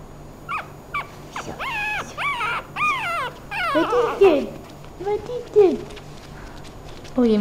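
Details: Mylee, a five-week-old female Thai Teacup Chihuahua puppy from Hua Hin, Thailand, gives a run of high, arching whines in quick succession. These slide into lower, falling whimpers while a person talks softly nearby.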